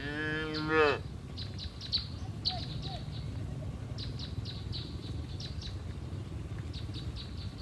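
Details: A cow in a herd grazing on green pasture gives a short moo that rises and then cuts off abruptly. Afterwards, small birds chirp repeatedly over a soft low rumble of outdoor noise.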